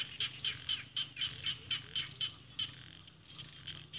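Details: Rice-field frogs calling in paddies of Isan, northeastern Thailand, with mountains beyond; short high clicking notes repeated about four times a second, steady then fading, over a low hum.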